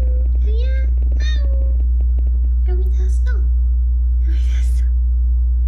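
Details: Frail rescued kittens, found clinging to each other after a family funeral, utter brief high-pitched mews, a few rising or flat cries in quick succession, then a scratchy burst, with steady low hum underneath.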